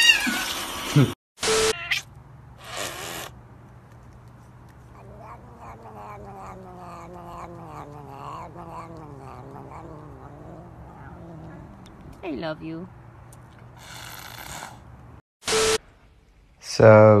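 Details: Domestic cat from a compilation of cats fed up with their owners, giving a long drawn-out wavering yowl of about six seconds, then a short rising meow, with loud bursts of noise and voices at the start and end.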